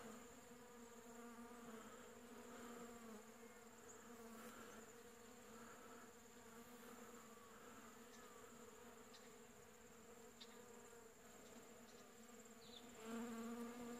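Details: Many honey bees foraging over a heavily blooming shrub, collecting pollen in winter, late July 2015: steady low droning hum with stacked harmonics, swelling louder near the end, plus faint brief chirps in the background.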